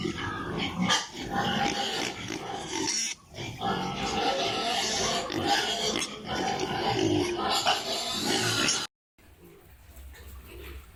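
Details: Piglets on a pig farm in Italy: a dense, loud chorus of overlapping shrill squeals and grunts, almost continuous for about nine seconds, then breaking off to a quieter stretch of farm noise with faint calls.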